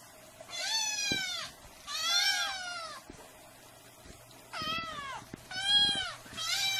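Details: Cats meowing incessantly, five loud, drawn-out meows that rise then sag, each about a second long, coming in quick succession over a faint steady hum.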